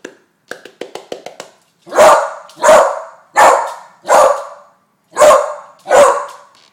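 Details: A 10-month-old female beagle, afraid of balloons, barking at balloons being waved at her: after some faint clicks and taps, six loud harsh barks about every 0.7 seconds, with a pause before the last two.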